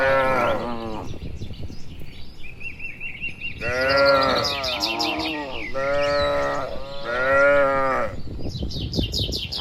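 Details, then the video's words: Herd of dozens of cattle heading home to the shed in the evening on a village road among green trees; several drawn-out, slightly rising and falling moos follow one another, with high bird twitters above. "Suara Sapi Moo"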